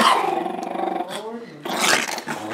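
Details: Chihuahua, male, indoors, in a dark room, grabbing a plate of food and attacking a bedroom slipper: a loud, continuous low growl, rough and rumbling for about a second, then rising again after a short pause, with a man's voice mixed in.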